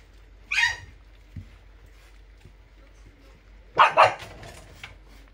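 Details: Puppies eating together; two short, sharp barks, one near the start and a louder double bark a few seconds later, with quiet shuffling in between.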